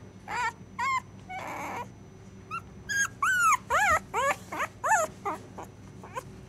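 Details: Neshima, a puppy, cries out while dreaming a nightmare: rapid, squeaky yips and short whines, several arching downward in pitch, delivered in a quick irregular burst over a quiet room hum.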